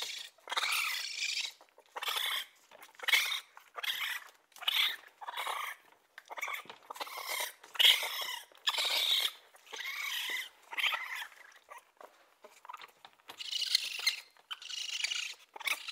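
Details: Raccoon making harsh, breathy chittering bursts about a second long, repeated with short gaps and varying loudness.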